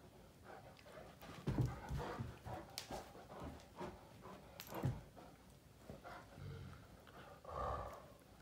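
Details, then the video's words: Finn and Magic, a pair of male Great Danes, playing rough with their mouths, Finn pushing to dominate; scattered low grumbles and snorty growl bursts, two louder peaks, amid panting and movement noise. "Great Danes Mouth Fighting"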